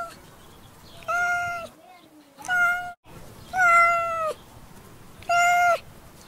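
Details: Cat giving four loud, sustained meows, flat and even in pitch with a slight droop at the close, spaced about a second apart against low background hiss.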